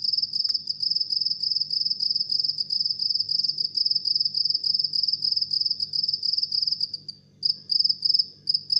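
A house cricket chirps steadily, a shrill, high trill of rapid pulses repeated without pause.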